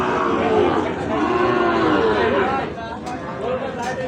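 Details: Gir and Sahiwal bull calves for sale at Ambari market, a livestock haat held Fridays and Mondays. A low, drawn-out moo with gently gliding pitch rises through steady crowd chatter and nearby talking voices.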